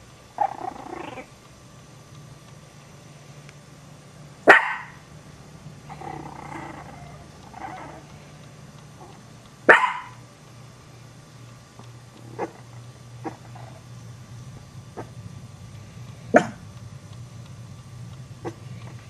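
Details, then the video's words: Chihuahua puppy Cocoa, one of three puppies, barking at the household Maltese dog Muffin; a few sharp, isolated barks spaced several seconds apart, with softer whimpering and scuffling noises between them over a low background hum. "Chihuahua Puppies Startled By Dog's Bark"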